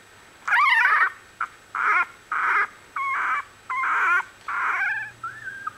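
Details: One-week-old Australian Bulldog puppies from a litter, squealing in loud wavering whimpers, about seven separate cries roughly once a second, some bending up and down in pitch, over a faint steady hum.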